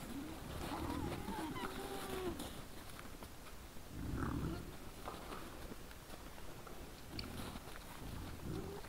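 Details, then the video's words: A group of wild boars in front of a trail camera, 17 December 2022, evening: low grunting bouts recurring every few seconds, with nasal squeals and wavering whines on top and rustling between. "Nice sounds of the Wild boars"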